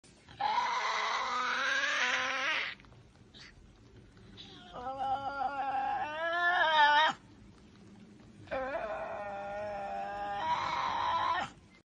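Three drawn-out, raspy screams from a Tasmanian devil, rich in harmonics and wavering in pitch. Each lasts two to three seconds, with short quiet gaps and a low background hum between them.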